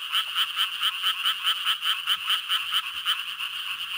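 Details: Advertisement call of a Japanese tree frog, a quick series of short, harsh, nasal notes at about five per second, evenly spaced and ringing high, with a faint steady hum behind.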